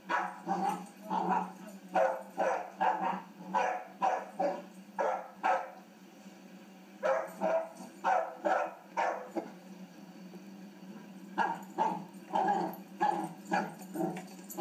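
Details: Playful three-month-old puppy letting out runs of short, rough barks, several per second, pausing briefly twice before resuming, over a faint low hum.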